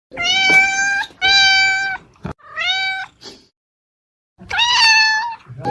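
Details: Domestic cat meowing: three drawn-out, steady-pitched meows in the first three seconds, a short pause of silence, then a final longer meow that rises slightly; each call rich and harmonic, recorded indoors.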